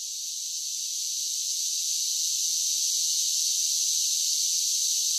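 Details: Cicadas singing in summer: a dense, steady high-pitched hiss-like drone with no breaks, swelling slightly louder over the first seconds, with no other sounds.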